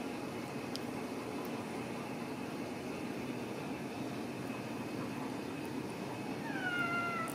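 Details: Single drawn-out, falling meow near the end from a Ragdoll kitten at a home cattery in central Kansas, following a long stretch of steady indoor hum.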